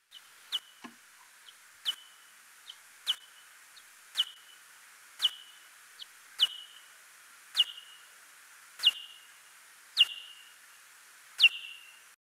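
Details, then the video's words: Pallid bat social call: sharp, high chirps sliding downward, repeated about once a second. "And here is our pallid bat social call."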